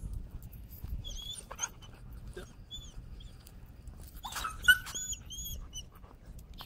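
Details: A timid dog, afraid of the leash and very sensitive to leash pressure, protests while being walked and desensitized: short, thin, high-pitched squeals and whines come in scattered bursts, clustered toward the end, over soft rustling and footsteps.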